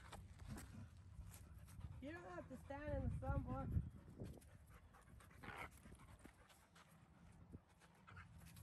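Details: Five-month-old puppy Denali playing with seven-month-old Micha at a dog park: a quick run of short, arching, whiny vocal sounds over a couple of seconds, then a quieter stretch with low background rumble and one brief sound later.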